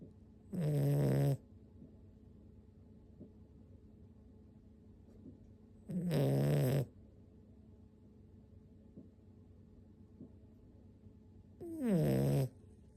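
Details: Six-month-old toy poodle puppy asleep, snoring like an old man: three loud, low rasping snores about six seconds apart, each under a second long with a gravelly buzz, in an otherwise quiet room.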